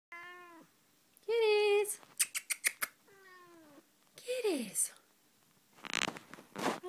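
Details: Tonkinese cat, a mother with her kittens, indoors. Four clear harmonic meows, the first steady, the second louder and flat, the third slightly falling, the last sliding sharply downward, with clicks and short scuffling noises between them.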